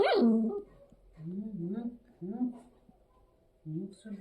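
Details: Angry puppy vocalising in a home: a sharp high yelp opens, then a series of low, rough, wavering growl-like moans rising and falling, about one every second, with a person speaking nearby.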